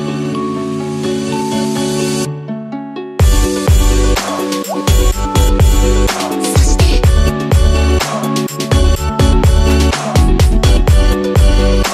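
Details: A soft synth intro stops for a moment, then a beat-driven electronic track with punchy drums continues to the end; no animal cries are heard.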